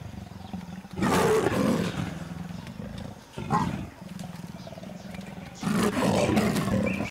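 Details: Wild leopards during a first mating attempt, the female making awkward advances on a young male; deep rasping growls and snarls in two loud bursts with a quieter rumbling stretch between, a man narrating over part of it.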